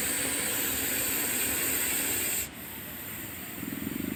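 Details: Venomous Russell's viper, held during a snake rescue in India, gives a loud continuous rushing hiss for over two seconds that then drops away sharply, leaving quieter hissing noise behind.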